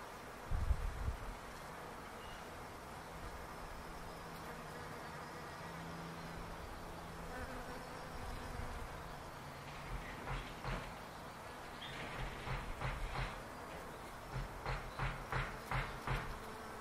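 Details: Bees in a backyard palo verde tree make a steady collective hum. A lower single-bee drone passes close in the first half, and a run of short rhythmic pulsing bursts follows in the second half.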